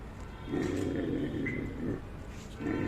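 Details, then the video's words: A Great Dane gives two deep, drawn-out, rough barks, low and booming, about two seconds apart, with no other sounds. "What is the sound of dog?"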